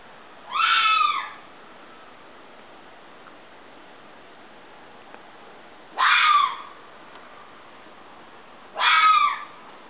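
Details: Fox scream: three loud, harsh, wavering cries, each about half a second long and falling slightly in pitch at the end. They come at uneven gaps of roughly five and three seconds over a quiet, steady background hiss.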